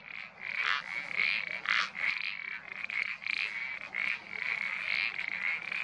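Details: Iberian parsley frogs in a dense chorus of quick creaky notes, the calls overlapping almost without pause.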